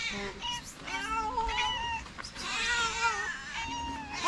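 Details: Several stray calico cats on a street in Morocco gather around people, meowing in overlapping, drawn-out cries for food and affection.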